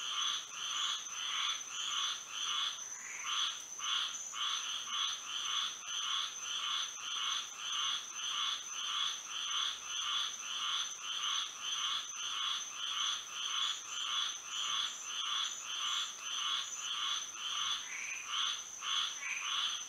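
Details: Moonlit night in Florida with frogs singing: about twenty seconds of busy chorus, with pulsed, nasal croaks repeating rapidly from several callers, brief irregular gaps, and a constant high ringing note throughout.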